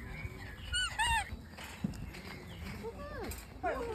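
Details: A Pomeranian at a campground in Gapyeong, South Korea, lets out two quick bursts of high-pitched, squeaky yips that rise and fall like short whines, while a woman talks over and between the calls.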